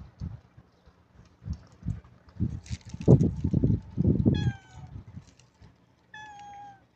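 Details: Cat or kitten giving two short, bright meows near the end, after a stretch of loud low thumping and handling noises that dominate the first half.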